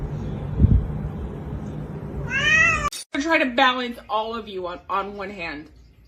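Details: Cat meowing in a funny-cats compilation: a run of short, harmonic, wavering meows, some rising then falling, after a quiet start with low background hum.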